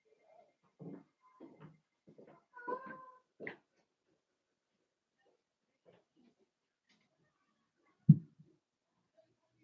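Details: Blenheim Cavalier King Charles Spaniel puppies, a litter of five born on New Year's, playing with their mother Paris in an indoor puppy pen: short soft yips and grunts in a quick cluster, one brief whine, then a lone sharp yelp after a pause.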